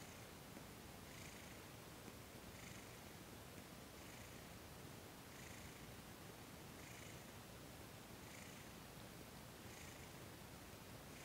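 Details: Domestic cat Thomas purring contentedly as he is massaged, December 28, 2021; a faint, unbroken rumble underlies regular airy swells about every one and a half seconds, about eight cycles, in a quiet indoor setting.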